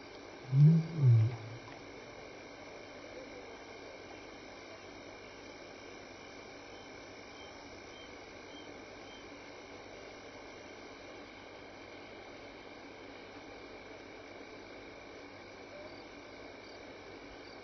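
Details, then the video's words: Lion at Elephant Plains Game Lodge, South Africa, on the evening of 26 May 2011, contact calling while walking by: two short, deep grunting pulses in quick succession, followed by a long stretch of steady insect buzzing. "Lion and Sounds"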